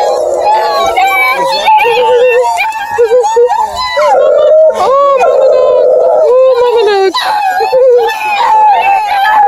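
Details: Chorus of ten Bluetick Beagle cross puppies near Kingston, Ontario, Canada, howling all at once: layered wavering howls at several pitches, some rising and falling, others held, with higher yips over the top.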